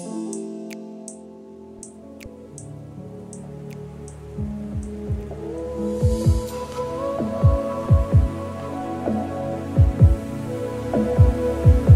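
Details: Gentle instrumental music with soft bell-like plucked notes and a low bass line, building into a steady rhythm with dripping, bouncing tones.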